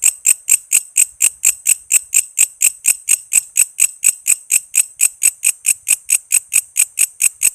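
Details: Walang kece cicada, recorded to train songbirds such as magpie robins and lovebirds, giving crisp high buzzy pulses repeated a few times a second in a regular, ringing series.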